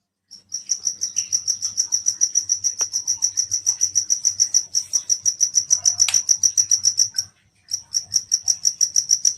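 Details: Insect. A night insect gives a shrill, pure-toned trill made of fast, even pulses, keeping up for several seconds. It stops briefly, then starts again with the same ringing, rapid beat.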